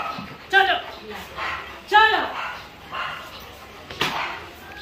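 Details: Labrador Retrievers Cholo and Luna at a stud session: two loud, sharp yelping barks with bright harmonic bands, about a second and a half apart, then softer yips, with voices and room noise behind.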